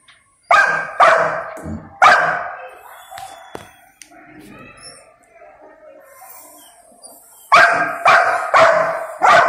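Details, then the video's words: A young male Golden Retriever protests angrily, waiting for his owner's order before he may eat. Three loud barks open, followed by quieter whines and grumbles, then a rapid burst of four or five barks at the end. "Angry Golden Retriever Throws Tantrum for Not Being Allowed to Eat"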